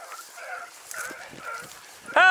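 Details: Dachshund pack driving a fox hunt in Victoria on 23 October 2022, moving fast through cover: far-off, wavering bays repeated every half second or so, then a man's loud shouted 'ho' closes the clip.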